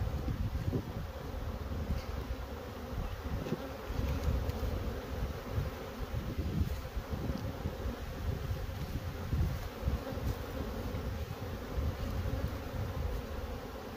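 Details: Crowded apiary full of honey bees, their massed wingbeats forming a steady, deep droning buzz with small flickers of passing individuals over fourteen seconds.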